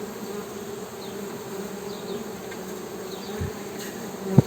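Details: Steady humming of a Western honey bee, a continuous low buzzy drone with a brighter overtone, even in loudness throughout, ending with a sharp click and a brief thump.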